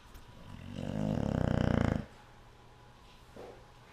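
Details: Yum Yum, a sleeping cat, snoring very loudly: one long, rough, low inhaled snore of about a second and a half, rising in strength with a fast rattling flutter, then quiet breathing.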